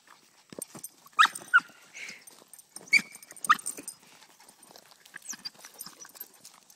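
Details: Dog at a dog park giving four short, sharp, high yelping barks in two close pairs, mid-clip, amid steady clicking and scuffling of paws on the ground.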